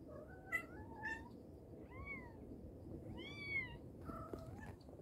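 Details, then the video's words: Mother cat calling her kittens: a handful of short, faint meows, some rising then falling, spaced about a second apart over a steady background hiss. "Mother cat calling her babies | cat meowing |kittens sound | mommy cat calling her kittens"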